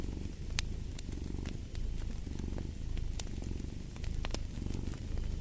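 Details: Cat purring in a deep, vibrating drone that pauses briefly between inhale and exhale cycles, while fireplace crackles snap sharply in the background.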